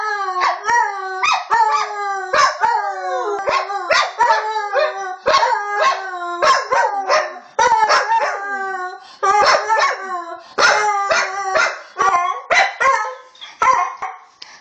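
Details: A dog yelping and howling in quick succession, short rising yips mixed with brief wavering howled notes about twice a second, loud and close with a quiet background.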